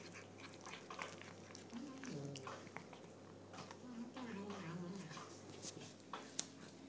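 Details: A cross-eyed chocolate point Burmese cat makes low, humming murmurs and grumbles that bend up and down in pitch, in short phrases, while eating, with soft clicks and smacking and a faint room hum.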